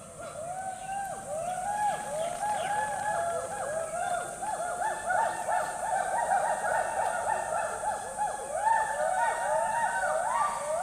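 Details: Several hoolock gibbons call together in a rainforest, their hooting whoops swooping up and down in quick, overlapping succession over a steady high insect hiss.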